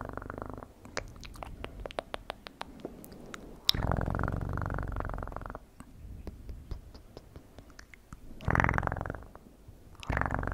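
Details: Domestic cat purring in short low rumbling bursts, each a few seconds long, separated by quieter gaps filled with sharp dry clicks and taps close to the microphone.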